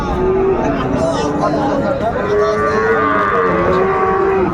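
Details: A Friesian calf at Ranigonj cattle market, Dinajpur, Bangladesh, 28 November 2024. Several short moos come and go amid steady crowd noise and nearby men talking.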